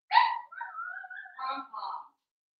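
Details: Cavalier King Charles Spaniel puppies Cooper, Conner and Jenny, born 06/09/2022 with Ruby and Blenheim coats, on an overnight puppy cam on 8/27: a sharp yelp, then a drawn-out level whine, then two short yips.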